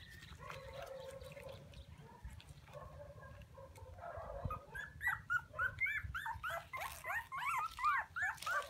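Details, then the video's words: Puppies calling for their mother: a few drawn-out whines, then a fast, rising and falling series of high whimpers and squeals, several every second and growing louder, over a low steady hum. "Why Puppies So Crying full Where is mommy?"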